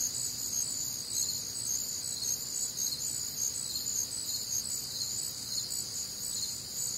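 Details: Crickets and other nocturnal insects on a warm, humid Midwestern summer night, a dense chorus of high, shimmering pulsed chirps layered in several bands, steady throughout with roughly two pulses a second.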